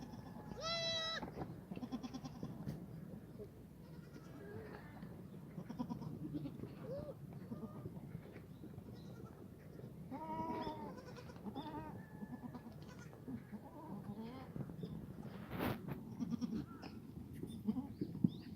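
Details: Black goats in a farm yard on a foggy Friday morning, 29 March 2019, at a black goat farm in Gimhae, South Gyeongsang, South Korea. Loud, wavering, harmonic bleats open the clip, and more bleats come near ten seconds over steady low farm rumble.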